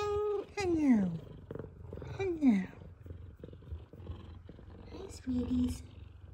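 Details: Pair of F2 Savannah cats greeting their owner returning from work: two clear descending meows, each sliding downward, then softer chirpy calls over a low purr, with the owner speaking affectionately.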